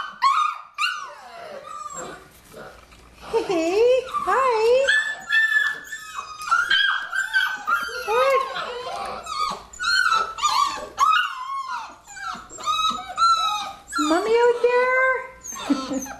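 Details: Six-week-old Labrador Retriever puppies, nine in the litter and kept indoors, keep up overlapping whines and yelps, some wavering low and others sharp and high, with quieter gaps and soft human speech in the background.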